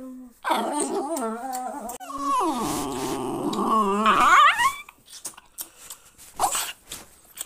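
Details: Jack Russell Terrier guarding its owner gives drawn-out moaning growls that waver and climb in pitch, rising into a sharper whine near the end, followed by quieter scuffling sounds.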